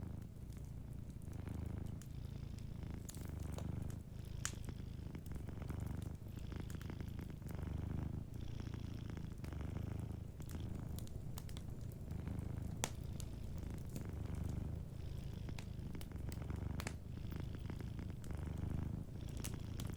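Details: Sleeping cat purring softly indoors, a low steady rumble in long phrases broken by brief pauses every couple of seconds, with a fireplace crackling and popping throughout.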